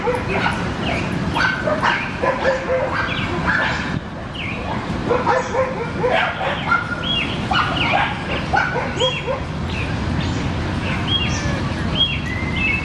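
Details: At a Brooklyn dog park, dogs playing together give dense volleys of loud barks and yelps, some high and whining, coming thick and fast for the whole stretch over low steady city noise.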